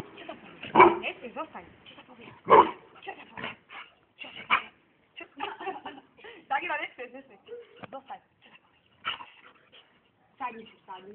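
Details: A dog gives a few sharp, loud barks while a person gives it commands and laughs.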